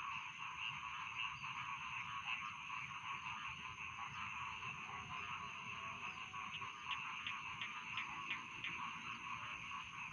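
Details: Rice field frogs calling, offered as bedtime sound: a dense, steady chorus of overlapping trilling notes in two mid-to-high bands, with faint ticking pulses growing more distinct toward the end.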